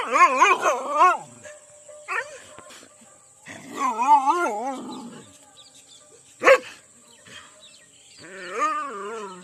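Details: Angry Rajapalayam dogs fighting in an Indian village: wavering, snarling howl-growls in bursts separated by pauses, with one sharp crack midway and a steady high tone throughout.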